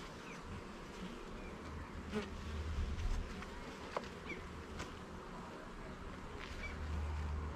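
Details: Honey bee colony heard as its hive is opened and the levels and frames are inspected in a garden: a dense, low murmuring buzz with a deep rumble underneath and occasional sharp taps from the woodwork.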